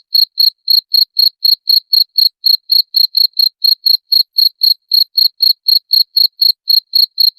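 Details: Cricket chirping, played as a sound to drive away rats: steady high pure chirps, about four a second, each a short pulsed burst, continuing without pause against a silent background.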